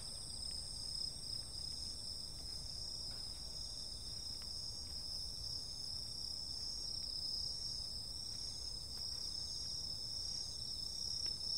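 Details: Insects filling a summer night with unbroken high shrill tones and a fast buzzy trill, faint scattered ticks dotted through, over a low steady background murmur.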